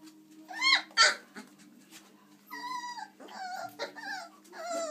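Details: Chocolate Labrador Retriever puppies, 26 days old, at play indoors; two sharp rising yelps, then drawn-out wavering whines and squeals, one after another.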